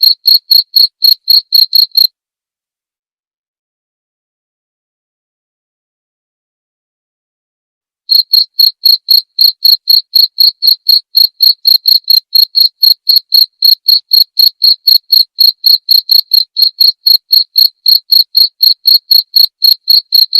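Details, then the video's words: Cricket chirps meant as training audio for songbirds and as therapy: a brief run of sharp, high pulses, about six seconds of silence, then a long, even stream of chirps at around four per second. "TERAPI DAN MASTERAN JANGKRIK"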